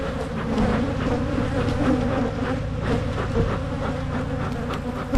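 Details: Colony of honey bees buzzing as frames are moved while hives are split in Michigan to prevent swarming; a continuous low, even drone with faint clicks and knocks from handling.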